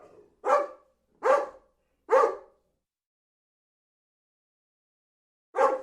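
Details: Barking dog: three quick, sharp barks under a second apart, a long quiet gap of about three seconds, then one more bark of the same punchy, clipped kind; nothing else is heard.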